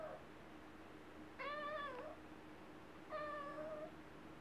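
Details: A chatty little cat named Wylla gives two drawn-out meows, each about half a second long with a gently wavering, rich tone, separated by a pause of over a second, with a faint steady hum behind.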